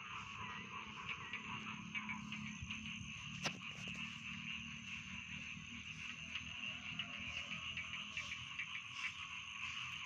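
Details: Rice field frogs calling together as a constant high, trilling chorus, one sharp click partway through and a low steady hum beneath.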